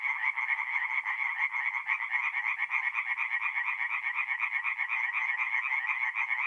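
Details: Tree frogs in full song after dark at a woodland pond, North-East Italy, mid-April: steady rasping croaks in rapid succession, about two per second, many voices blending into a constant high-pitched pulsing hum.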